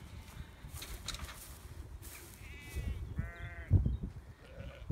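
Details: Sheep from a small herd of ewes and lambs, chased out of a field shared with beehives: two quiet, wavering, tremulous bleats in quick succession, the second slightly lower and longer, over rustling, footsteps and low background rumble.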